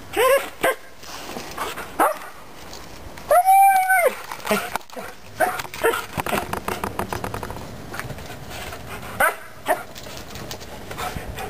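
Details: Dog out bikejoring with its owner on 28 November 2012: short sharp yips and barks, one drawn-out arched whine near the middle, rapid rhythmic panting bursts throughout, and a man speaking nearby.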